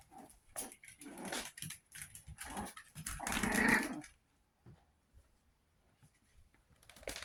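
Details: Two-month-old Chihuahua puppies, 61 days, giving a burst of choppy yips followed by a loud rasping growl-like squeal lasting about a second, then near quiet with light taps.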